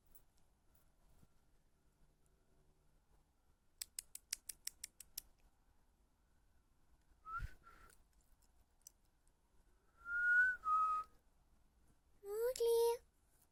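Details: Male pet cat indoors meowing while yawning as he comes after being called: a short rising meow with clear harmonics near the end, preceded by two steady whistled tones and a rapid series of sharp clicks.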